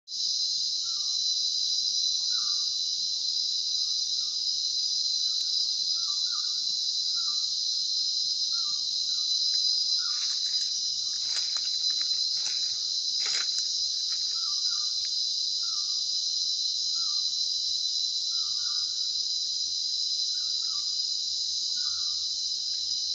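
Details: In Sri Lanka's Sinharaja rain forest, a steady, high-pitched insect drone fills the air, unbroken and shimmering throughout.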